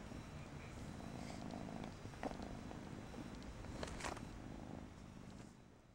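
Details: Purring Persian kitten, a steady low throbbing rumble that holds throughout, with a couple of brief sharp clicks near the middle.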